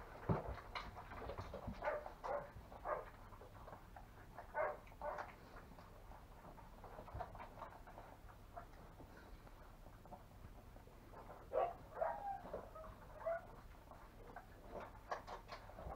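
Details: Longhaired German Shepherd puppies, five weeks old, one of a five-pup kennel litter; scattered brief high squeaks, with a louder run of whiny, wavering squeals toward the end, over steady clicking and shuffling movement noise.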